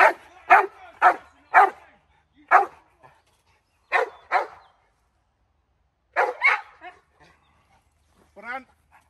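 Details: American bulldog barking during woodland protection training, a hold bark short of a bite: loud, harsh barks in quick pairs and triplets at irregular intervals, with a brief whine near the end.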